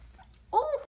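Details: Baby guinea pig after falling over, giving a single short squeak that rises and then wavers, with a second harmonic line above it, heard indoors in a small room against quiet background hum.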